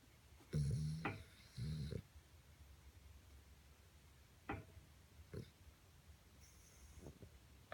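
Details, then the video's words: Asleep beside a radiator, Cosmo, a 10-year-old Boston terrier, lets out two short grunting snores close together, then only faint snuffles and clicks in a quiet room. "Dreaming snoring Cosmo"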